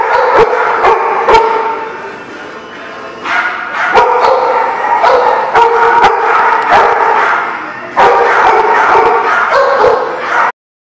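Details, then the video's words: Rapid, overlapping barking from several dogs at a dog park, recorded 17 February 2018; a dense run of sharp barks with brief lulls, ending abruptly. "The Barking Lot"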